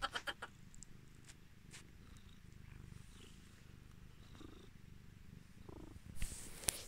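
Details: Domestic cat Luna or Athena responds to its owner's fake crying with a steady, soft, low purr throughout, broken by a few brief clicks and rustles at the start and a louder rustle near the end.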